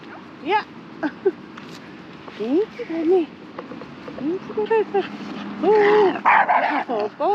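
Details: A 2-year-11-month-old Shiba Inu on a walk in the Netherlands, distracted by many other dogs, gives high, arching whines and short yips, rising then falling, in uneven bursts.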